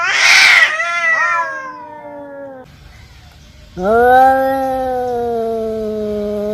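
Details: Fighting male cats trade harsh yowls: a loud scratchy opening cry sliding downward, a quieter pause with faint noise, then a sustained, steady, low moaning howl held for nearly three seconds.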